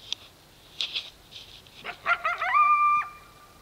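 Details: Coyote at dark: a few sharp, scattered barks, then a burst of quick yips rising into a short, steady howl held for about half a second before cutting off. Background otherwise quiet.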